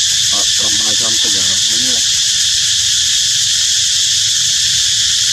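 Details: Baby monkey calling its mother for water in hot weather: a quick series of short, wavering, tonal cries over about two seconds, then quiet, all under a loud, steady, high-pitched insect chorus.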